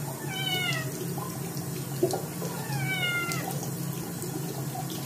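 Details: A dirty-pawed Scottish kitten gives two loud, drawn-out, downward-sliding meows over running water, protesting its second bath.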